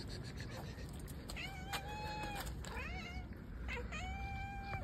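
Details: Cat meowing clearly: three drawn-out, tonal mews, each bending down and then holding level, about one second apart, over a low steady hum.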